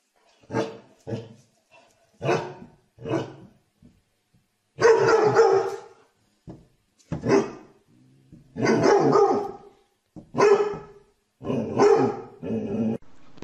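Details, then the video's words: Domestic dog barking in a lively run of loud, harsh barks, some single and some in quick doubled or tripled bursts, with short pauses between volleys and no other clear sounds. "Funny dog barking videos compilation"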